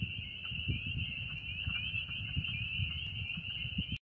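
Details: A dense chorus of spring peepers at a mine pond in Western Pennsylvania, their high piping peeps blending into one continuous shrill ring.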